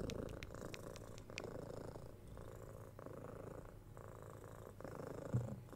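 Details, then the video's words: Kitten of six months purring during cuddles, pats and soft kisses, binaural 3Dio recording; several sharp kiss or click sounds open the passage, then a low rhythmic purr continues in alternating breath phases with quiet rustling. "Cat Purring"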